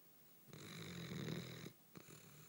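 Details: A nearly 4-year-old male Basset Hound, lying on the lounge after a busy day of playing, snores with a long, low, rattling breath followed by the start of another.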